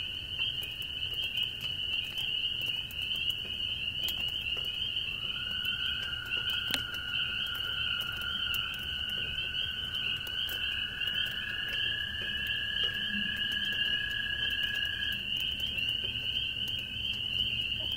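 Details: Very small spring peepers clinging to an old barn shovel call in a dense, shrill chorus of high peeps while light rain patters steadily on the fence and roofs nearby; toads are also trilling.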